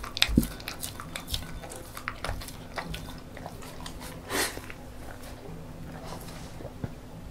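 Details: A female beagle born December 2016 eats homemade banana porridge noisily, with wet smacks, crunchy bites and quick licking clicks in a quiet room.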